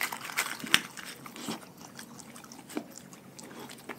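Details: Pack of dogs eating a raw food diet indoors: sharp wet crunches and bites come in irregular bursts, with one loud snap early on, over soft chewing and smacking.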